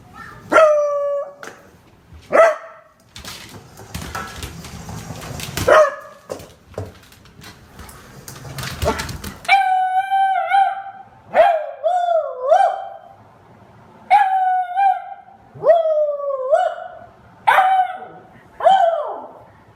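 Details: Beagle Honey starts with short sharp yelps amid rustling, then breaks into a series of about seven drawn-out wavering howls, each dipping and rising in pitch, spaced roughly every one to two seconds.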